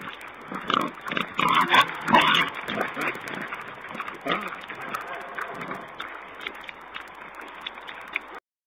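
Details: Wild boar at a wildlife camera, 11 May 2010: a series of short, rough grunting calls clustered in the first half, several rapid bursts around two seconds, then fainter scattered grunts before the sound cuts off.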